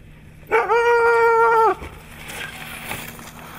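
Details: Siberian Husky recorded on 3 February 2017 in Nizhny Novgorod, Russia, on a competition day: a single sustained, rich harmonic howl-like whine lasting just over a second, held at a steady pitch before breaking off, followed by low background noise.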